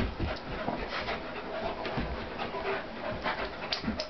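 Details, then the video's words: Two dogs play fighting, a 75-pound pitbull named Corona and a roughly 150-pound German Shepherd named Warlock; rough, breathy panting and scuffling noises run continuously through the short stretch with no clear barks. "Dogs play fighting"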